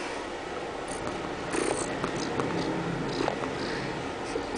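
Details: Oliver, an orange tabby cat about 10 months old, found at a store in Kansas City, Missouri, and described as an affectionate lap cat awaiting adoption, purring with a steady low rumble indoors, with faint rustling and handling noises.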